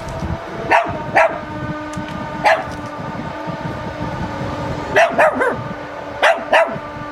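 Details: Zoe, a male Chihuahua who doesn't like the sound of lawnmowers, barks enthusiastically over a steady mechanical engine hum. Sharp yaps come singly or in quick pairs and triplets at irregular intervals.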